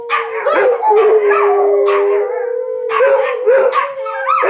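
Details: Dogs start howling in long, wavering tones when the noontime sirens sound, set off by the steady, droning siren.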